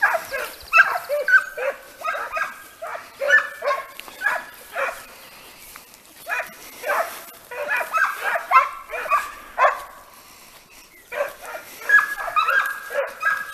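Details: Le Frecce pack of Segugio Italiano hounds in hare training, giving continuous excited tongue: dense, high, yelping bays tumbling over each other, several per second with short pauses, outdoors.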